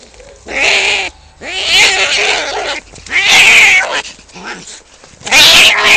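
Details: Two male cats fighting for territory just outside a home: loud, harsh, strained caterwauling in four rough bursts separated by short gaps.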